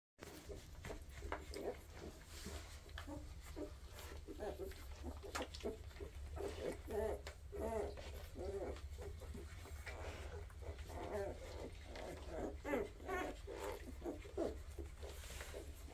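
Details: A litter of Weimaraner puppies from a first 2023 litter keeps up a steady run of soft grunts, squeaks and tiny whimpers, overlapping in quick succession over a low, constant hum.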